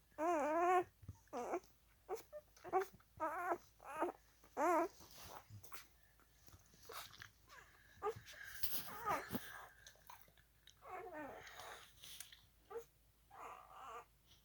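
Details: A 4-day-old Alaskan husky puppy, crawling around, gives a series of high, wavering whimpers and squeaky little cries.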